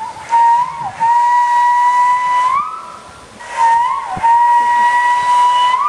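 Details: Male walrus at Dolfinarium Harderwijk, Netherlands, recorded in April 2010 during mating season, whistling to attract females: long, steady, pure tones held for about two seconds, each ending in a short upward slide, repeated twice with clear overtones.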